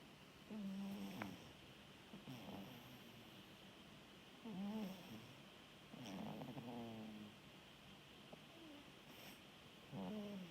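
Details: Orange tabby rescue cat snores in its sleep, giving short low buzzy snorts at uneven gaps of roughly two to four seconds, some with rising and falling overtones, above a quiet constant background hiss.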